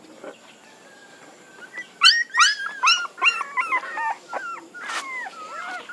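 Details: Quiet at first, then puppies break into a run of sharp high yelps and whines, followed by softer wavering squeals that slide up and down in pitch.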